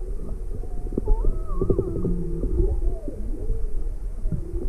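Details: Juvenile humpback whale off Maui, February 17, 2020, inquisitive and approaching a boat with its motor off, mother nearby; overlapping tonal moans and whistled sweeps, some rising and falling, over steady low rumbling water noise.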